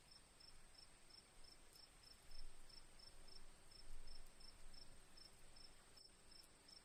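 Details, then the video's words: Crickets chirping amid birdsong and soft dripping rain water: evenly spaced high chirps, several per second, continue throughout over a loud low rumble that swells midway, with a steady shrill hiss above. "crickets birds sounds"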